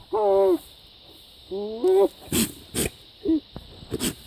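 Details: Bizarre noises from a goat: two loud, rough bleats, the second rising slightly at its end, followed by a short quieter bleat among sharp bangs and clicks.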